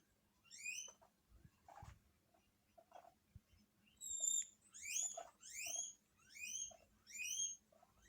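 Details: Several pet guinea pigs in a Hokkaido home reacting to an unfamiliar guinea pig call broadcast on TV: a run of six or seven shrill, rising whistled wheeks, with soft rustles and taps between.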